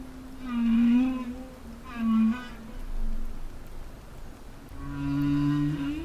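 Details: Humpback whale singing underwater, recorded off Peru; males may sing to communicate with other males and attract females. Several low, moaning tonal units with rich harmonics, some swooping upward, separated by short pauses.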